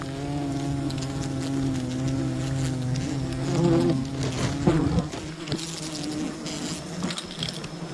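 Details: Bees from a wild colony at a honey hunt hum in a constant low drone, then rustling and clattering handling noises build up over the final seconds.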